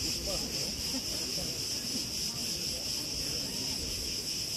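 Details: A continuous high-pitched cricket trill, unbroken and steady, recorded in August 2020 at Preveli Beach on Crete, with a faint wash of wind and rustling branches underneath.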